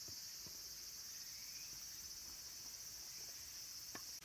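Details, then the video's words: Cicadas calling at Kabusanji, a mountain temple in Takatsuki City, Japan, near summer's end, where minmin and tsukutsukuboshi cicadas sing. A dense, steady high shrill hangs unbroken throughout, with scattered faint ticks and soft knocks below. "Cicadas' voice"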